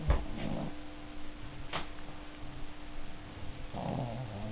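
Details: Enya, a dog, asleep and snoring really loudly: a low rumbling snore at the start, a short snort near two seconds, and another rough, low-pitched snore rising at the end, with a steady faint hum throughout.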